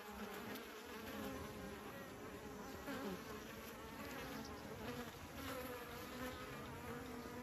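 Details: Kept bees swarming near beekeepers: a constant, layered buzz of numerous wings, steady in loudness, with passing insects briefly sweeping up and down in pitch.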